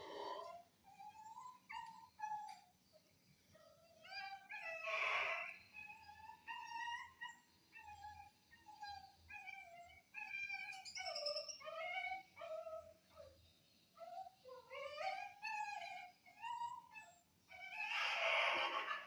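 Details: Anjing kampung, an Indonesian village dog, recorded Friday 18 November 2022, crying in a long series of high, wavering whimpers. Short cries bend upward and downward in pitch, broken by two louder, rasping yelps.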